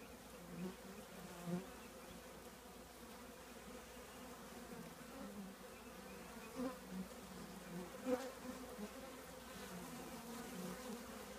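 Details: Honey bees of a colony housed in an old trash can hum continuously, the even drone punctuated by several short swells as single bees fly past close by.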